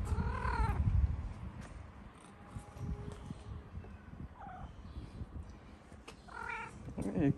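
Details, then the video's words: Stray tabby cat fed on a street in Morocco gives short meows at the start and near the end, harmonic calls between a man's low spoken words and background rustling. "The tabby cat was incredibly cute with a sweet meow."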